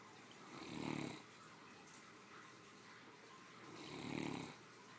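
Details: Great Dane, a three-year-old female, snoring contentedly after a midday meal; two loud throaty snores, each about half a second long, spaced roughly three seconds apart in a quiet room.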